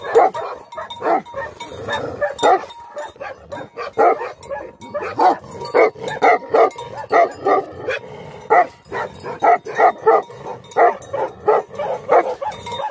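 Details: Angry Tibetan Mastiff barking, Bhote Kukur: a long, irregular stream of rough barks from more than one dog, with a faint ringing tone behind them.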